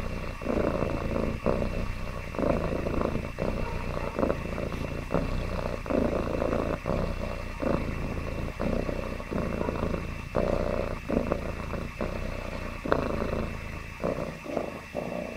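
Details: Contented domestic cat purring continuously, a deep buzzing rumble that pulses in a regular rhythm with brief gaps at each breath, roughly once per second, throughout.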